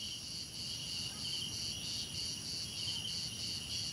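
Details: Chorus of crickets: one shrill voice pulses in rapid even beats, about four per second, over steady higher and lower trilling from other crickets and a faint low rumble.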